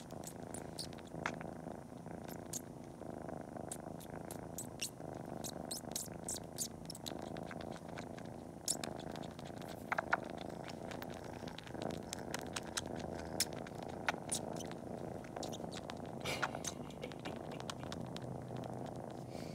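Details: Kitten named Cori purring steadily while pretending to nurse just before a nap, sucking toes and kneading with its paws; a continuous low rumbling purr runs throughout, overlaid by frequent sharp wet suckling clicks.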